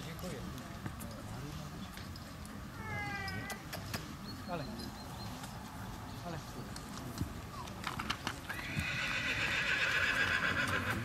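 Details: Mare born 10 April 2016, shown at an autumn inspection at SK Krasne on 15 September 2017: a short descending whinny early on, amid speech, hoof clip-clop and later a burst of broadband noise.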